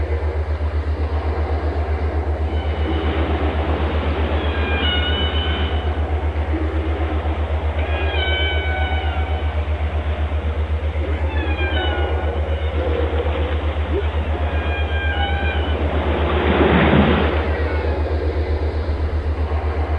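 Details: Whale song made of harmonic, wavering tonal cries, some sliding downward, returning about every two to three seconds over a steady low pulsing throb, with a broad rushing burst near the end.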